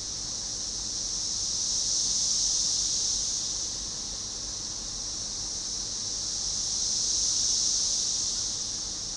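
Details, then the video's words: A synchronized chorus of Magicicada tredecassini (Cassin's 17-year cicada) near the Cache River, Monroe County, Arkansas, on June 6, 2015: a dense, high hissing buzz that swells and fades in waves. "Cassini periodical cicada chorus at Cache River"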